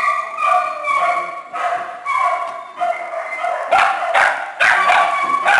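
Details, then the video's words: Several small dogs and puppies in a shelter kennel give drawn-out, tonal whining yips, some rising, with sharper barks breaking in near the end. "Small dogs and puppy kennel"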